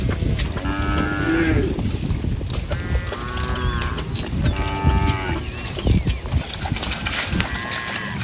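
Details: Herd of cows grazing and roaming in a rice field, mooing in a series of four or five harmonic, slightly bowed calls, some overlapping, with constant low rumble and a faint high whine.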